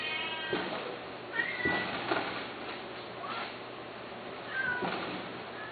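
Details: Domestic cats meowing, several short high harmonic mews at about 1.4, 3.3 and 4.7 seconds over a steady low hum and faint background noise.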